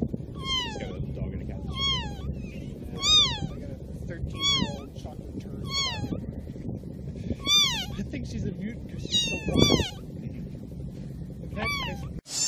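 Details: Cat meowing incessantly, short falling meows repeated about once a second over a steady low hum and background murmur, a brief voice near the end.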